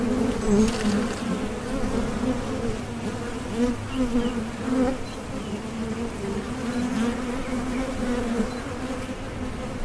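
A dense, continuous buzz of many bees fills the air, a low droning hum with a brighter overtone above it. The sound rises and falls gently as insects drift nearer and farther away.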